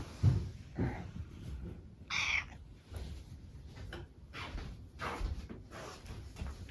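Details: Affectionate greeting meow from Mametarou, a brown tabby cat at home welcoming its owner into the room. One short, bright, high-pitched mew midway, surrounded by low rustling and household background noise.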